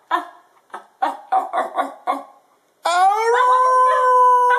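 A Basenji gives a run of short yodelling yelps, then a long steady howl.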